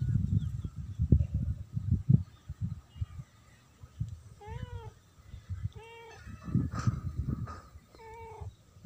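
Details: A friendly female domestic cat meowing: several short, clear, slightly rising then falling meows in the second half, each under half a second, over low rumbling background noise and soft handling sounds.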